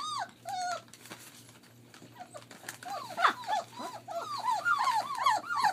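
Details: German Shepherd puppies, 21 days old, at play in a family kennel in Mayo, Florida. A few high whimpers open the clip, then a quieter stretch, then a fast run of arched, squeaky yelps and whines, several pups overlapping.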